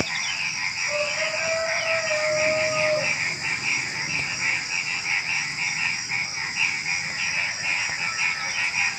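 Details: Frogs calling at night just before dawn among other small creatures such as crickets. A rapid pulsing chorus repeats continuously over a steady high insect trill, with one drawn-out whistled tone near the start.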